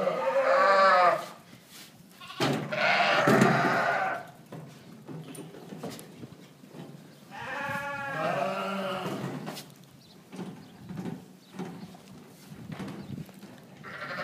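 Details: Dorper sheep on a ranch bleating: a quavering call, a harsher one, then a longer wavering bleat about eight seconds in, with rustling and handling noise between calls.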